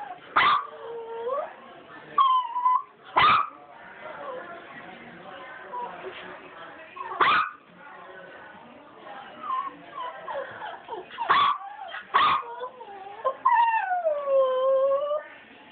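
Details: Puppies whine steadily, with overlapping high, wavering cries that slide up and down and stretch into long drawn notes. Sharp knocks and bumps break in several times throughout.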